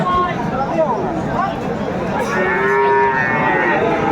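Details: Friesian or crossbred bull calf, about seven to eight months old, at the Aftabganj cattle market in Dinajpur, Bangladesh, on 24 April 2024. Gives a wavering, harmonic moo over steady crowd chatter and market bustle, with a second drawn-out low call later.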